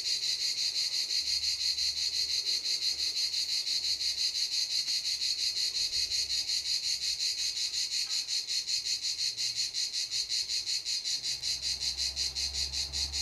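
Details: Cicadas at Canet-en-Roussillon give a loud, high, rasping buzz that pulses rapidly and never lets up.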